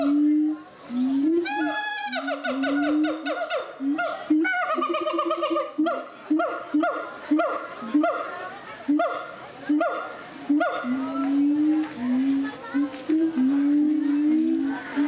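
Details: Gibbons singing at the Zoo de Doué la Fontaine in 2010: loud, clear whooping hoots, rising and falling, in quick rhythmic series with bright overtones and a brief accelerating rising sequence near the start.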